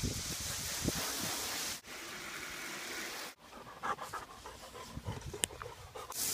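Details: Black Labrador Retriever puppy at a car wash, playing in the spray and trying to drink the free water while a Ford Fusion is washed; quick breathy panting over steady hissing water spray, with brief knocks and splashes.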